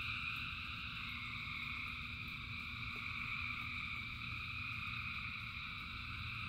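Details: Dense chorus of many frogs in the rain: steady, unbroken trilling in layered high bands with no pauses, above a constant low rumble of rainfall.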